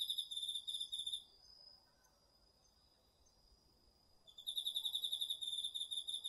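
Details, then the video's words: Crickets in an autumn insect chorus from a home garden field at night, recorded on a DR-40X: fast high pulsed chirps in a train of about a second, a three-second lull under a steady thin tone, then the chirping resumes. "秋の虫の声 ASMRでおやすみなさい 〜虫の音を枕元で聞いてね〜 こおろぎ他"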